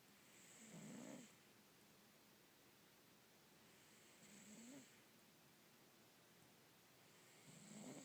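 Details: A Russian Blue cat snores softly, each raspy breath returning about every three and a half seconds.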